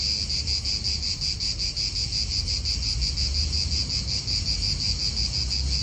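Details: Cicadas calling in an Italian park: a dense, continuous buzzing drone with a fast pulsing throb, steady throughout, over low rumbling wind and distant car noise.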